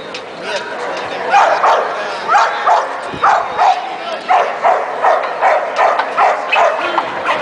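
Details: American Pit Bull Terrier named Orkan, born 16 May 2006, filmed 6 June 2010 at an FCA grip competition; sharp barks come in a quick, uneven series of about three per second while people talk in the background.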